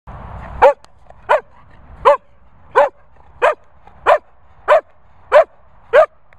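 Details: Barney, a Sprocker Spaniel, gives nine short, high, whiny squeaks at a steady pace of about one every 0.7 seconds. Each squeak is a brief rising-then-falling yelp over a quiet background, with a low rumble only at the very start.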